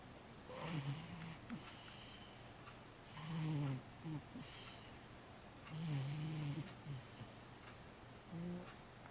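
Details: Sleeping 15-year-old cat Matchan snoring softly indoors: low, rough breaths with brief tonal squeaks, roughly four breath cycles at irregular intervals over a faint steady hum.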